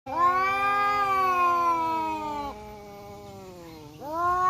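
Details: Two male village cats, one black and one striped, face off in a forest in Indonesia, trading a long harmonic yowl that holds steady and then drops into a lower, quieter growl before rising again.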